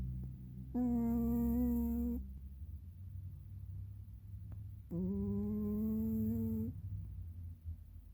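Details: Oreo, a pet cat, snoring while asleep indoors: two drawn-out humming, tonal breaths about four seconds apart, each under two seconds long and steady in pitch, the second rising slightly, in an otherwise quiet small room.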